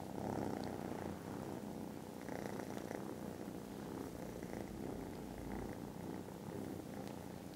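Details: Very loud purring from contented foster kittens napping after lunch, Friday 18th December; the deep rumble swells and eases slightly in rhythm with breathing, with faint soft rustling above.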